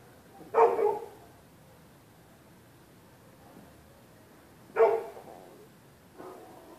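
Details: Neighbour's dogs barking through the night at anybody using the public sidewalk on either side of the street: two sharp barks early, another single bark near five seconds and a fainter one after six, with quiet street background between.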